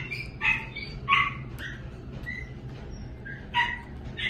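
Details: Chihuahua giving short high-pitched barks and yips, about four sharp bursts spread irregularly over four seconds, with a low steady hum underneath.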